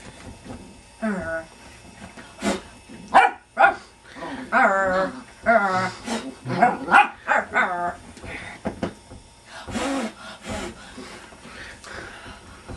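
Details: Playful puppy Indy at home, fired up during a game: a run of high, yappy barks and strained growling yelps bunched in the middle and again near the end, mixed with human voices and laughter.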